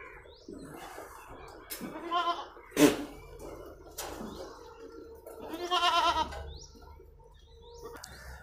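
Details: Goats on a farm in Patan, Gujarat, India, where three different breeds are kept; several short quavering bleats rise and fall across the stretch, with a sharp click and low background noise between them.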